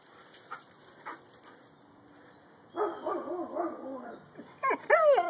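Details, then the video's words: Purebred Husky howling: faint noise at first, then a wavering, harmonic woo-woo howl that rises and falls for about two seconds, ending in a few sharp, yelping upward-arched cries. "Pure Bred Husky Howling"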